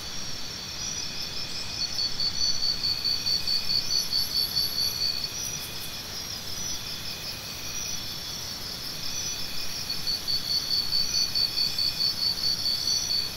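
Crickets chirp steadily, a high pulsing trill repeated in long rhythmic bursts.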